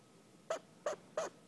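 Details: A pet female chinchilla, sitting on her owner and undisturbed, repeatedly gives short, sharp squeaky barks about three times a second. The owner is worried and suspects she is scared.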